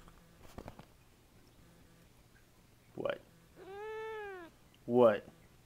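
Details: Siamese cat named Kaffir complaining indoors about a messy table: one sustained arched meow, rising then falling, framed by short human spoken interjections just before and after it in a small room.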